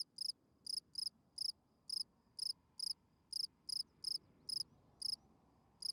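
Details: Spring field cricket singing at night, its calling song meant to attract females. High, pulsed chirps repeat about twice a second, slightly irregular, over a noticeable low rustling background hiss.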